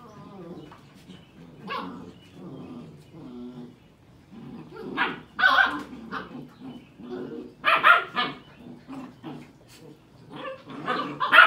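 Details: Seven-week-old Sheepadoodle puppies with their mother Pepper visiting: sharp barks and yips over talking, louder barks coming toward the end.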